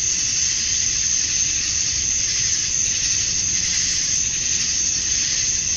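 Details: Male cicadas chirping to attract females at dusk on a summer night in Georgia, USA: a dense, steady, high buzzing drone that holds without pause or change in loudness throughout.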